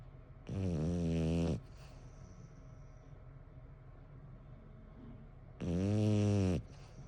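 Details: Bon, an 11-year-old male French Bulldog, snoring. Two long, loud, deep snores about a second each with a rich harmonic buzz, about five seconds apart, with quiet breathing between them.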